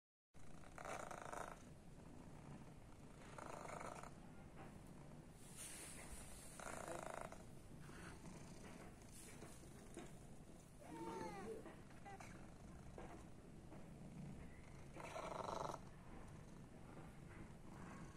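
A Persian cat purrs with a steady, low, rumbling vibration that barely pauses.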